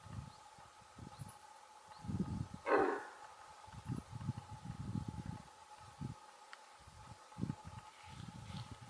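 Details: One hoarse, explosive alarm bark from a female red deer, similar to a large dog barking, near the start, with repeated low rumbling thuds and a steady background hum throughout.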